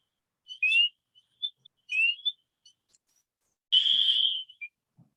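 Spring peepers give clear, rising high peeps every second or so, then one longer buzzy trill, the males' aggressive call.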